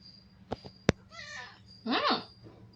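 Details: Domestic cat meowing after being told in Tamil that its food is finished: two sharp clicks, then a wavering harmonic meow and a louder, rising-then-falling second meow, over a steady high insect-like background whine.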